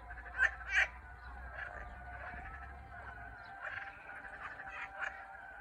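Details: Frogs in Turkey calling in a dense chorus: overlapping harsh, pulsed croaks centred in the mid range, with a couple of loud nearby calls near the start over a steady low hum.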